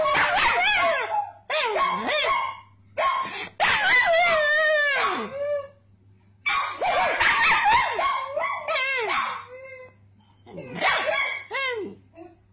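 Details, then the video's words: A pet pug named Puggly joins in when people bark at him, giving bursts of high, wavering yelping barks with rising and falling tones, like a chattering conversation, separated by short pauses. "Puggly Barking"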